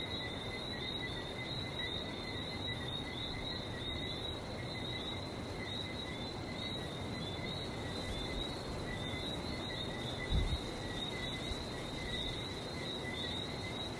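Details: Barbados frog chorus: many small callers blend into a continuous shimmering trill of high chirps in two stacked bands, steady throughout, with a soft low rumble beneath and one brief thump near the end.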